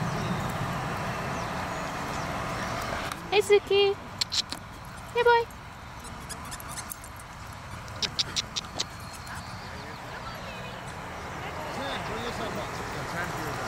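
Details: Seven-week-old Shiba Inu puppies in a litter give brief, high, wavering whines and yips while a person talks nearby.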